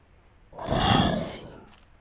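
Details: A capybara gives a single rough, breathy grunt lasting under a second, captured by a camera trap in the San Conrado neighbourhood of Campinas.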